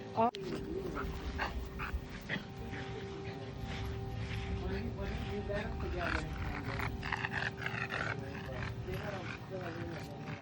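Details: A French Bulldog has an inverted reverse-sneezing episode, a rapid run of harsh, snorting inward gasps.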